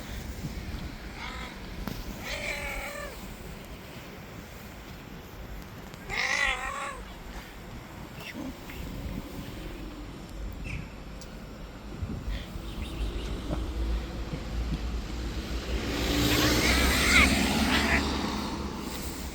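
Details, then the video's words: An angry white street cat in attack mode gives a few wavering, harmonic meows, one longer warbling call in the middle, over steady low rumble, with a burst of broadband noise near the end. "Angry White Cat in Attack Mode"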